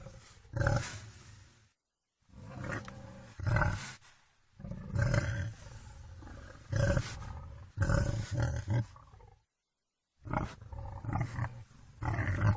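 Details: Wild boar giving deep, rough, low-pitched grunting roars in bursts of one to two seconds, repeated in several series and separated by short stretches of total silence.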